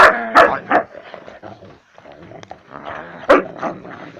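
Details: Husky, angry while eating a bone, indoors. It gives loud harmonic barks, three in quick succession at the start, then quieter grumbling and a final sharp bark with follow-up barks near the end.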